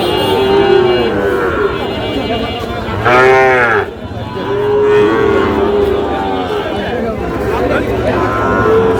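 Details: Sahiwal breed bull calves at a busy cattle market, bought for a farmer from Cox's Bazar on 14 August: a loud, rich bellowing moo near the middle, with fainter lowing before and after under steady crowd chatter.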